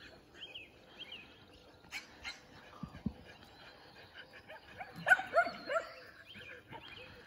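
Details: Shetland Sheepdogs running at full speed at a 2021 AKC event; scattered soft yips early on, then a loud cluster of sharp barks near the five-second mark, with faint chirping bird-like whistles in the background.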